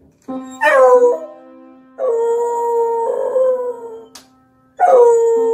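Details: A beagle sings along while playing the piano, howling in long, wavering, falling notes over a sustained piano tone.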